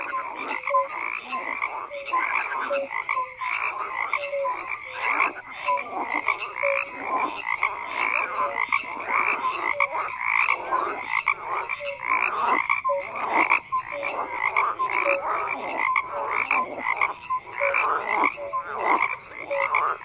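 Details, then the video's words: Frogs croaking in a dense chorus, many overlapping calls with short bright notes pulsing several times a second and a steady layered din throughout. "FROGS CROAKING"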